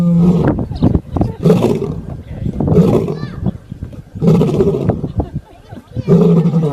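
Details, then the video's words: Lion snoring: rough, rasping breaths in low broadband bursts, repeated roughly every second and a half, with short quiet gaps between pulses. "شخير الأسد"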